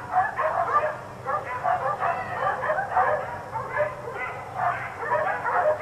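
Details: Barking from a group of four dogs left outside through the day: rapid, rough barks layered over one another in steady, rolling bursts with a faint low hum underneath.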